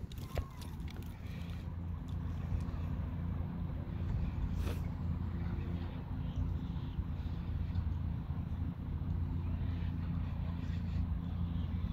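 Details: No animal sound is heard, only steady low engine rumble from a vehicle with faint speech and outdoor urban noise.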